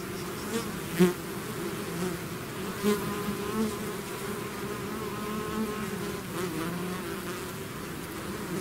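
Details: Swarming bees outside their hive make a constant layered buzzing hum, with several louder close passes or taps standing out over the drone, especially in the first few seconds.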